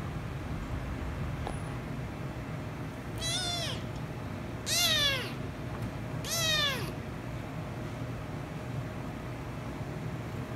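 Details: Rescue kitten and ginger kitten, the rescue kitten angered by the ginger one before they end up kissing and licking; three clear, arching meows spaced about every one and a half seconds over steady low background hum.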